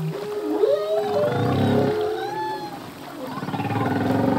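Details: Singing male humpback whale, from a full-length song that changes each year. A wavering mid-pitched whistle and soft rising sweeps sit over a throbbing low moan that fades and then returns as a rapid, rattling pulse.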